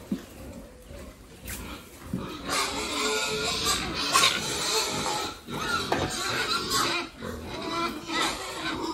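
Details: Farm-raised pigs kept by a family for sale: loud, noisy squealing and grunting comes in dense, overlapping bursts, rising in intensity after the first two seconds and staying busy to the end.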